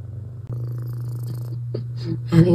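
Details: Pet cat watching birds and a squirrel at a bird feeder, purring loudly; deep continuous even hum, with brief soft human voice and rustles near the end.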